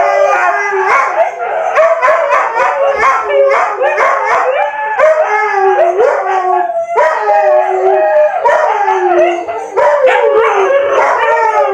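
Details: Siberian Husky vocalising in rapid, yodel-like bursts of short, rising and falling howled syllables, a chattering 'talking' pattern running on for several seconds, then longer wavering howls toward the end.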